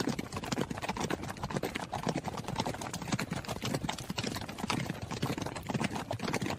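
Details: Horse running, its hooves giving a steady stream of quick, irregular knocking thuds, dense and even in loudness.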